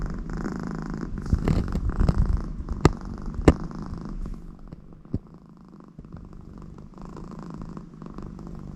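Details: American Shorthair cat Connie, content with her owner nearby, gives a low throaty purr that starts stronger with a few clicks and rustles, then fades to a soft faint rumble for the last seconds.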